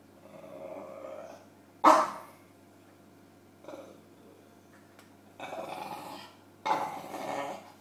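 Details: Bulldog named James at his pillow, giving a sudden loud bark early on, a short grunt midway, then two stretches of throaty growling toward the close; indoor quiet between.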